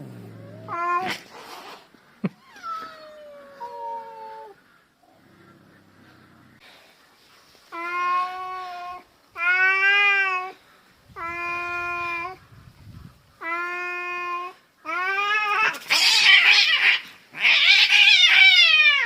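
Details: Domestic cats in a daily fight, an orange cat doing most of the vocal threatening; drawn-out harmonic yowls in bursts, the last ones louder and harsher, breaking into screechy, noisy wails.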